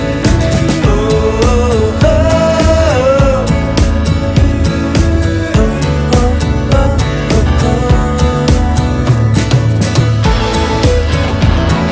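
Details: A steady rock-pop song with a driving beat and a sung melody plays without a break, and no animal sound can be heard.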